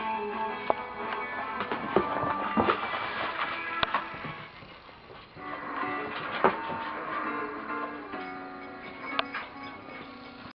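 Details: Steady music with guitar-like tones and occasional sharp knocks fills the room, with no animal voice.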